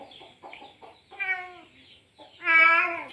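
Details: Male cat in heat calling a female after mating: soft chirping and muttering sounds, then a wavering meow that dips at its end, followed by a louder, longer, strained meow.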